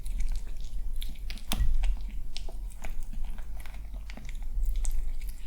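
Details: Calm male kitten, a little cautious, eating breakfast indoors during the peaceful morning hours at home. Irregular crunchy clicks and bites, with a steady low rumble underneath.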